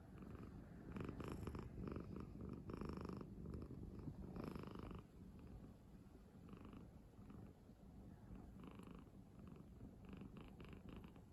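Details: Asleep on a person's bed, a cat snores in a steady low rumble of rapid, fairly regular breaths. It is louder during the first half, with short higher tonal bursts scattered throughout.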